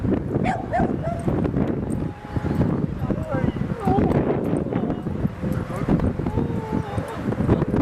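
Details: At Seal Point Dog Park on the western side of San Francisco Bay, 19 March 2016, a dog on an outing with Rosy and Rocky gives thin, high whines and short yips over people talking and steady outdoor background noise.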